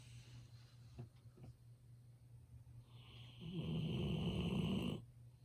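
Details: Golden Retriever Ibuki, sleeping loudly enough to be heard over work nearby, gives a few faint clicks and breaths, then one strong rattling snore of about one and a half seconds, with steady background hum.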